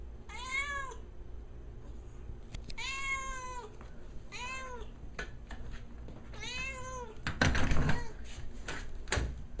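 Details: Housebound cat meowing and whining because it wants to go outside: four clear, drawn-out meows, each rising then falling, spaced about two seconds apart, followed by knocking and rustling thumps.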